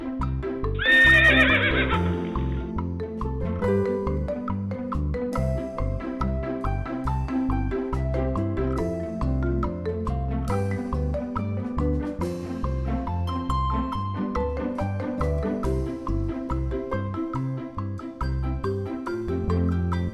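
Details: Horse whinnying near the start, a brief shrill, wavering neigh lasting under two seconds, followed by continuous bouncy background music with mallet tones for the rest of the recording.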